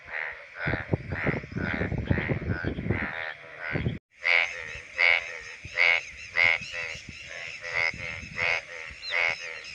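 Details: Male Indian bullfrogs calling from shallow water in the monsoon breeding season. Pulsed, grating croaks are muddied by a low rumbling noise for the first four seconds, then ring out clearly, one about every half second.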